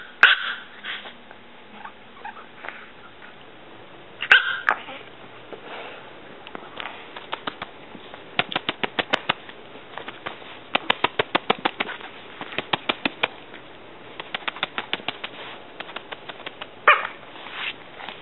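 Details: Pulga, a six-year-old female Chihuahua under 3 pounds, gives a few high yaps between long stretches of fast clicking and tapping noises, likely claws or handling.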